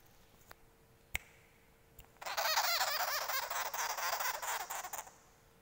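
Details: Baby sugar glider, angry, lets out a sudden rasping buzz lasting about three seconds, fast rhythmic pulses within it, after a quiet stretch with a few soft clicks.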